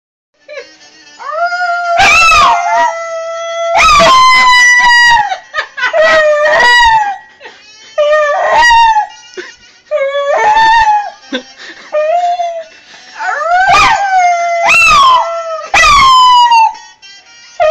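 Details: Dog being taught to howl, giving long, wavering harmonic howls that slide up and then settle. The howls come in bursts broken by short sharp yelps and pauses, with a rich stack of overtones.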